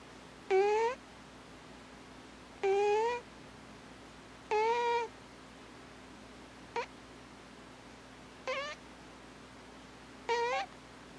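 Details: Alpha cat Thames asleep and snoring: three fuller nasal squeaks every two seconds, followed by three shorter, fainter high chirps at looser intervals, with a soft constant hum in a quiet room.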